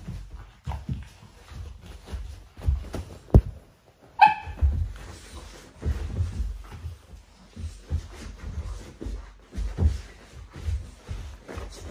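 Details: Cane Corso puppies at their morning sparring: repeated short low growls and grunts with scuffling thumps, broken by one clear rising yelp-like whine.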